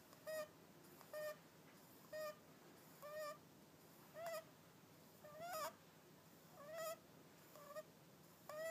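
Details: Repeated snoring from Hakka the cat, short whistled squeaks on each breath, some with a noisy breathy burst, coming roughly every second with slightly uneven spacing.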